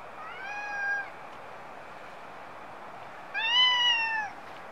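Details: Stray cat recorded in Japan with a Nikon D5300: two clear, harmonic meows roughly two and a half seconds apart, the second louder and gently falling in pitch, with quiet hiss between.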